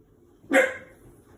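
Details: Five-month-old Shiba Inu puppy, frightened by a washing machine, gives one sharp, loud bark that cuts off quickly and fades, with a quiet room around it.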